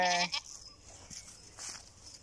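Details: Goat bleat, brief and harsh, opening with a bright harmonic burst about a quarter second long, then a short second blip before low hiss and faint rustling.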